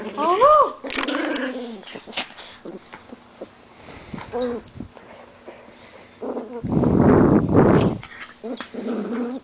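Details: Pit bull dog while fighting: high, wavering whine-like yelps rising and falling at the start, then short growly bursts and a loud rough snarling outburst near the end, with a person's worried voice exclaiming in between.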